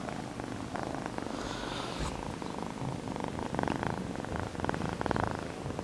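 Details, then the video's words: Loud purring from the kitten Sonny as he is filmed, a continuous low throbbing rumble with rhythmic pulses growing stronger toward the end, plus a brief soft rustle midway. "Kitten Purring"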